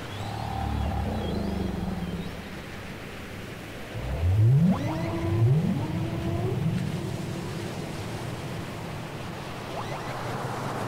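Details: Whale song from a cassette recording: a low steady moan at first, then two long rising swoops climbing from deep to mid pitch with bright overtones, ending in fainter tonal fragments over constant hissing background noise.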